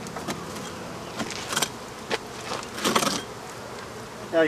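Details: African honey bees buzzing as a hive is removed from a house; a steady low hum broken by sharp knocks and clatter from tools at work.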